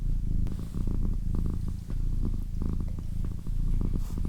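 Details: A purring female pet cat, a low throbbing rumble with breath-paced surges and small handling clicks throughout.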